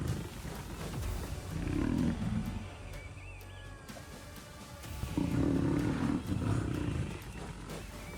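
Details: Lions on the African savanna, where a pride hunts Cape buffalo, give two deep, rumbling roars of about a second each over a soft musical background.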